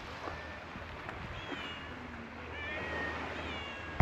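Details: Stray cats, among them a black kitten that bites while playing, at a fishing port; a few thin, faint meows over a steady low engine rumble, ending in a sharp knock.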